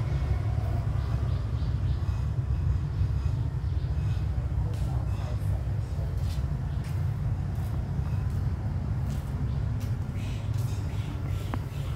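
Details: A steady low engine rumble from passing traffic fills the scene, with faint human voices and no clear animal call.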